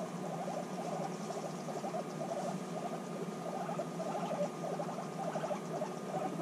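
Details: Reunited after six months apart, guinea pigs bond intensely, giving rapid stuttering pulses in short runs, nearly continuous over a constant electrical hum.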